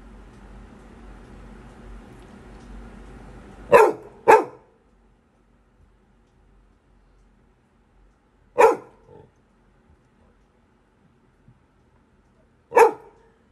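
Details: Labrador Retriever puppy indoors gives sharp, sudden fearful barks, a quick pair and then single ones, at nothing visible in the house; owner jokes it is scared of a ghost.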